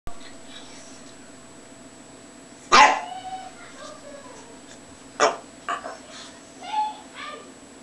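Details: Male Lhasa Apso dog lying in the sun during a happy fit, acting a little crazy: a sharp bark near three seconds, another at five, then short yelps and whiny vocal sounds, with a steady electrical hum underneath.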